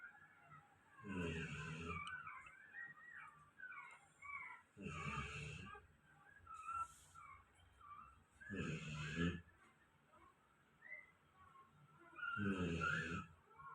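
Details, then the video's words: Golden retriever asleep and snoring, four coarse, raspy breaths spaced roughly every three to four seconds, low and breathy with airy hiss on top; small birds twitter quietly in the gaps. "my golden retriever snoring"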